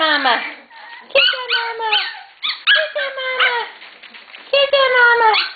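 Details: Shetland Sheepdog puppies from a litter nearly ready for new homes, excited during play: several sharp, harmonic whines sliding downward, broken by short yips in bursts, with a woman talking cheerfully over them.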